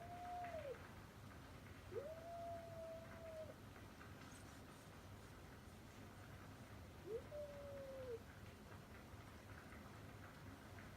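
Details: Stray tabby cat calling from outside a house, heard through a window: three drawn-out, mid-pitched meows, the second long and level before dropping, spaced a few seconds apart over steady background hum.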